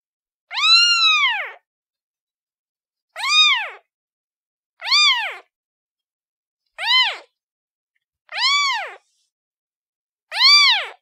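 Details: Domestic cat kitten giving six short, clear arched meows, each rising then dropping in pitch, spaced about two seconds apart against a silent background.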